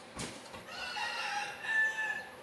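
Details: Young goat kids bleat while being given a 1 ml B-complex vitamin injection: a tonal, wavering cry lasting about a second and a half, with people talking quietly in the background.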